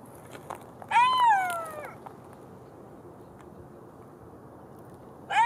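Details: Golden jackal uttering one drawn-out wail that rises slightly, then bends downward for about a second, with a fresh cry just starting at the end; faint hiss underneath.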